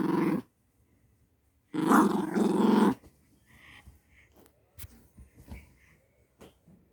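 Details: Household dog inside a home giving a short growl, then a longer rumbling growl of about a second, followed by soft rustles and small knocks in a quiet room.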